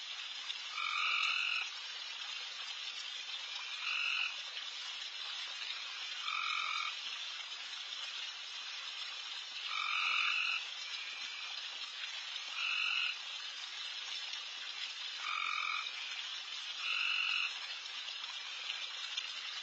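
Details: At night in a backyard, frogs call loudly all around feeding deer; a constant sizzling chorus carries regular louder buzzy trills roughly every two to three seconds, about eight in total.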